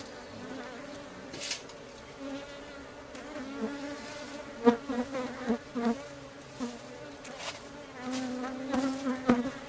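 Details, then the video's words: Aggressive honey bees around a hive during beekeeping: a persistent low hum, with individual bees zipping past in short louder bursts, especially in the second half, plus occasional clicks. "A bit aggressive bee!! and a close call"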